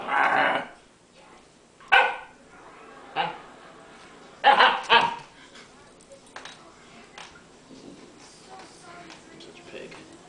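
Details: A dog lying lazily on the floor gives a run of short, rough barks, about five in the first five seconds, two close together near the middle, then only faint rustling and soft indoor noise.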